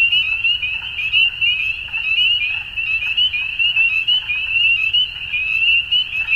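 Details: Frogs calling at dusk in a dense chorus: a steady, shrill high trilling drone runs throughout, with rapid pulsed croaks and chirps layered beneath it and a faint low rumble in the background.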